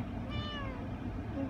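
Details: Young male cat, tense during a visit to the vet: a single drawn-out meow that rises slightly, then falls, over a steady low hum.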